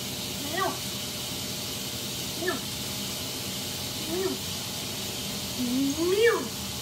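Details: Cat giving a series of four short meows about two seconds apart, the first three brief and falling, the last one longer with a rising then falling pitch, over a steady hiss.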